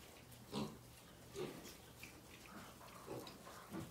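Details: Domestic pigs on a farm giving short, low, rough grunts, one roughly every second with uneven spacing, over a quiet steady background hum.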